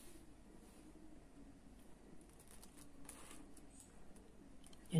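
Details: A quiet indoor room with faint, soft speech and a few small rustling noises, ending in a brief louder knock.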